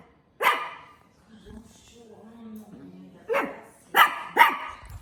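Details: Dog with one sharp bark, a pause holding faint murmuring and low tonal sounds, then three more barks in quick succession near the end.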